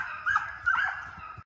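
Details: Deer hound pups in a fenced fox pen during conditioning runs after coyotes; two quick rising yelping barks over a steady hound drone, then an abrupt cut.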